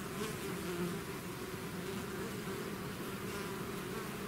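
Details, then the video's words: Swarm of bees out of its hive, a dense steady drone with bright bands low and in the middle, humming continuously without pause, with a soft hiss above. "bees therapy swarm natural buzzing sound"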